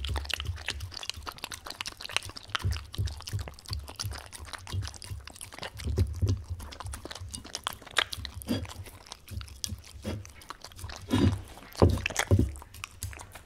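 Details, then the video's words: Indoors, the Welsh Corgi Tangza chews a wet stew dog food: crunchy bites and sticky smacks come steadily, growing louder toward the end with two strong chomps, over a faint low hum. "강아지먹방 / DOG ASMR / 웰시코기탱자 / 강아지습식사료"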